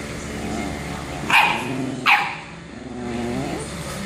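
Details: Two quick sharp barks about a second apart amid a constant low hum, as a bulldog keeps bothering a chihuahua.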